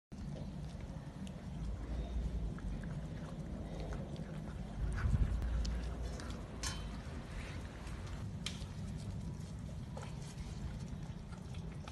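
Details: Low rumbling background noise with scattered clicks and knocks, and no clear animal voice.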